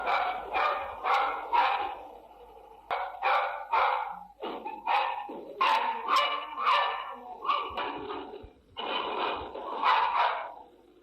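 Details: Dog barking in rapid bursts, clusters of sharp harmonic barks repeated with brief pauses, loud and continuous throughout.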